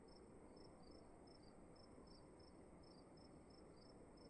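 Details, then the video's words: In a dark room at night, crickets give sharp high chirps about twice a second, occasionally doubled, while a quiet, steady low hiss and faint high whine fill the background. "Sound of emptiness and crickets in the room"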